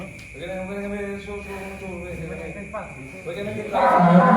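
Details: One of four giant cattle being loaded onto a truck late into the night gives a drawn-out, low, droning moo lasting about two seconds, then a shorter second moo, ending in a burst of loud rough noise.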